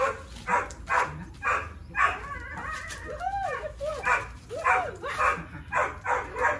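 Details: Three-year-old Boxer Tyrion in engagement and recall practice, barking in quick bursts roughly twice per second, broken midway by rising and falling yelping whines, over a steady low hum.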